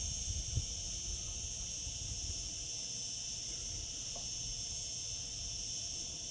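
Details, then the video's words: Cicadas singing in summer, a steady unbroken high-pitched shimmering drone in several stacked bands, with a faint low rumble underneath and a soft thump near the start. "Cicada sounds, cicadas singing in summer."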